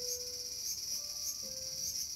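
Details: Cicada calling in a small garden on August 5, 2020: a steady, high, shimmering drone that holds unbroken throughout, with faint, thin low tones drifting underneath.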